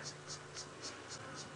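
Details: A cicada, though first guessed to be a grasshopper, gives a steady run of high, sharp chirps, about four each second, over a low engine-like hum. Recorded on a clear, very hot afternoon in the African bush during a sunset safari drive on 3 December 2016.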